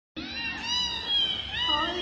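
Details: Mother cat with her newborn kittens: a drawn-out, wavering meow lasting nearly two seconds, with a woman's soft voice present.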